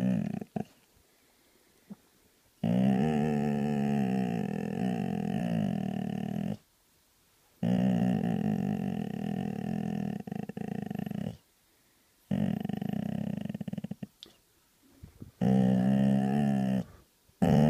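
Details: A grumpy Vizsla lying in bed grumbles in long, low, moaning growls, each lasting a few seconds.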